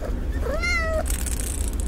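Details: A domestic cat in a pet store gives a single clear meow, rising then sliding down, over a low steady hum.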